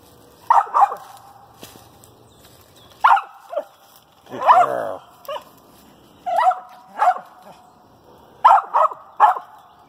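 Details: Female dog treeing a squirrel in a pine thicket, barking in short pairs and singles with pauses of one to two seconds between bursts, one bark harsher and broader than the rest.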